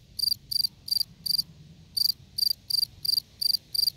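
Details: Gryllus campestris, the field cricket, chirping in high, shrill pulsed bursts about three per second, with a brief pause after the fourth chirp before the steady series resumes; soft low background rumble.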